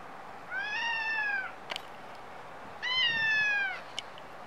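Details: Two long, drawn-out meows from a stray cat in Japan, caught with a Nikon D5300 camera, each lasting about a second and gently falling in pitch at the end, with a sharp click between them.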